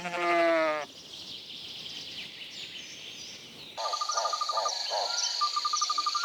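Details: Lambs grazing in a cool green forest: one loud, harmonic, wavering bleat lasting under a second opens, followed by a busy chorus of high twittering birdsong and chirps in the woodland background.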